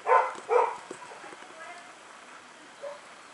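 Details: Puppies barking: two sharp, bright yaps in quick succession open the sequence, followed by quieter scattered yips and one brief high yelp near the end.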